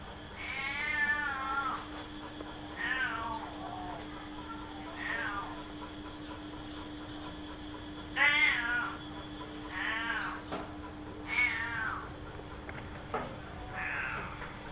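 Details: Pet cats, large and small, playing happily in a cage in the front yard, giving a string of eight or so wavering meows, some rising then falling, in loose pairs with short quiet gaps, over a low constant hum.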